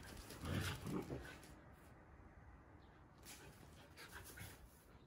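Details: Akita-inu, a female dog vocalizing to win back her sister's attention from a bird in a bush; two short, low, grunting bursts near the start, then a quiet outdoor background with faint hiss.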